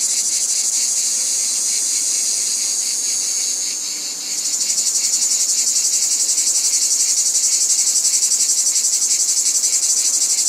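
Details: Massed cicadas droning at high pitch; the hiss dips briefly, then returns as a stronger, clearly pulsed rattle repeating about four times a second.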